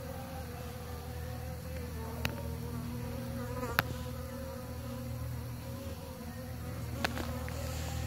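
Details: Loud, dense humming of bees during pollination, a thick low drone with higher wavering overtones, broken by three or four brief sharp taps.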